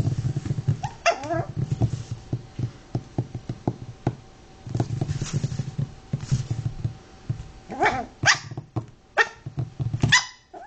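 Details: Lilly's puppies, Chinese Crested, Pekingese and Fox Terrier mixbreeds, let out a rising squeaky yelp early on, then a cluster of high whiny yelps near the end, over continuous low thumping and handling noise.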